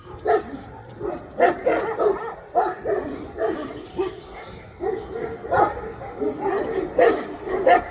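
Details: Tibetan Mastiff barking in short, clipped bursts, irregularly spaced, with a few louder sharp barks standing out against a noisy background.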